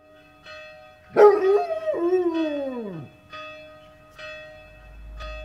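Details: Basset Hound singing after being woken by church bells: one long wavering howl that slides down at the end, over steady ringing bell tones with soft repeated bell strikes.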